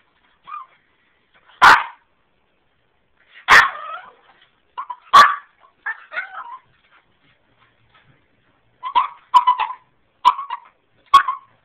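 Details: A small half Boston Terrier, half French Bulldog puppy, still too small to come downstairs, answers coaxing with scattered high yips and short whines, some in quick clusters of three or four, in a quiet room.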